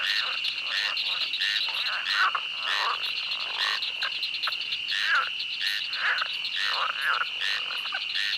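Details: Frogs calling in a swamp, a dense overlapping chorus of short croaking notes repeated several times a second, over a steady high insect drone and faint sharp clicks.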